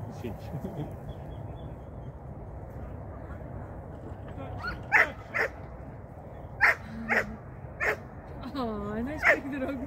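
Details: Barking Shetland Sheepdog at a first training session in 2023; a quiet stretch of background noise, then a burst of sharp barks in the second half, alongside a person speaking.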